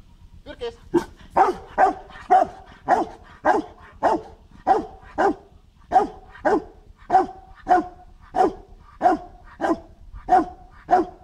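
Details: Marshal von Hause Sommer, a dog in protection training, 8 September 2014: steady rhythmic series of deep, forceful barks, about one every half second for the whole stretch, over low outdoor rumble.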